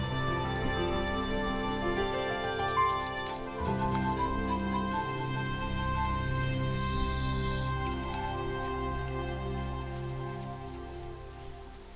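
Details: Soft, tender new-age music with sustained tones and gentle chimes plays throughout, with no animal sound heard.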